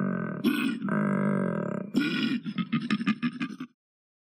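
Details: Koala (Phascolarctos cinereus), bellow.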